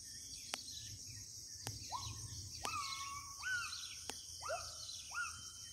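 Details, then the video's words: Deep in Kalimantan's interior forest, a gibbon gives upward-sliding hoots that flatten into short sustained tones, with loud clicks scattered between them and a whining insect drone above. "Suara owa owa dari hutan pedalaman kalimantan"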